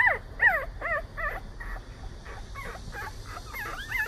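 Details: Jindo puppies, young brothers growing up and eager to explore the outside world, give high, wavering whines that bend up and down, repeated roughly every half second in short bursts over a steady low background hiss.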